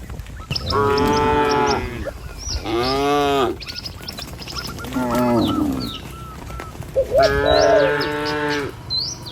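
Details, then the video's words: Cattle herded down a village road lined with trees and rice fields on the way to a pen: four loud, drawn-out moos a second or two apart, with faint short chirps and honk-like notes in between. "Suara Cow Sepanjang Jalan Desa"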